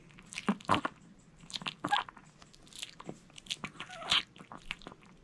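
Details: A male Maltese named Jamong crunches a whole sweet potato indoors, with loud close bites and wet mouth smacks in quick irregular bursts.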